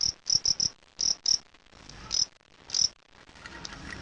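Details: Sound test of a fighting cricket (jangkrik aduan): bright, high chirps in short bursts of two or three, with gaps between bursts, lasting nearly three seconds before giving way to soft background hiss.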